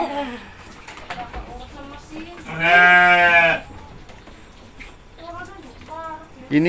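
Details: Goat being hand-fed by a child and his mother, giving one loud, wavering bleat about a second long with strong stacked harmonics, amid children's and adults' chatter and scattered rustling.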